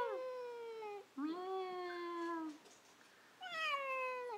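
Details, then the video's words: Pet cat conversing with its owner indoors: a long falling meow, then a lower drawn-out meow, a pause, and a final descending meow, each richly tonal with clear overtones. "Talking to a Cat!!!!!"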